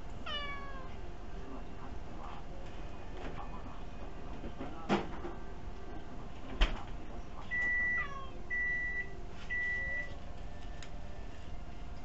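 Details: Kuri-tan the house cat begs for food while seated on a chair, captured on a tiny camera; a bending meow opens, a second follows around the eighth second, with a short soft cry between, three electronic beeps and a couple of thuds in a quiet room.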